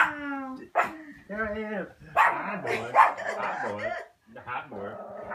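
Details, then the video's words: Butterball, a pet dog, worked up indoors after hearing a notification sound; drawn-out harmonic whines slide into yelping howls, broken by short gaps, with people talking over her and background music. "Butterball Freaking Out Hearing Notification Sound"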